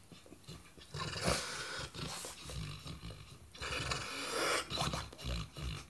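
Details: Watson, a Saint Bernard, dreaming in his sleep, gives muffled, breathy puffs and soft snorting huffs, 'hub bubpapapapa', in uneven bursts with low rumbling between them, followed by a person speaking gently.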